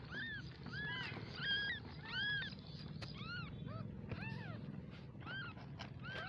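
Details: Baby kittens meow in quick succession, thin rising-and-falling mews from several animals, roughly one and a half per second, with a constant low hum underneath and a faint click near the middle.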